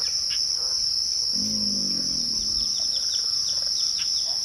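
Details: Crickets at twilight: a steady, unbroken high-pitched ringing trill holds throughout, with faint scattered bird chirps beneath and a brief low murmur midway.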